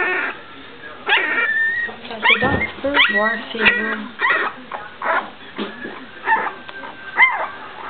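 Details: Puppies of a 2009 litter at their first steps and barks produce high squeaky yips and short falling whines in uneven bursts, with human voices talking alongside.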